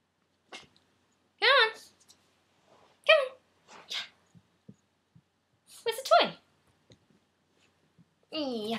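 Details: Hope, a rescued Maltese Chihuahua puppy taught to howl and getting overly excited, gives short wavering yelping howls in bursts, each rising and falling, between quiet gaps indoors, the last one held longer.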